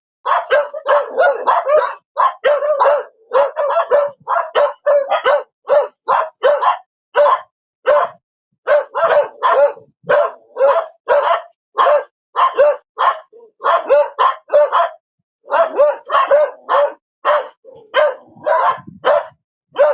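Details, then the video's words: Continuous dog barking for twenty seconds, dense volleys of short sharp barks with occasional brief gaps, loud and uninterrupted by other sounds. "Perro Ladrando / Sonido de animales. Ladrido de perro"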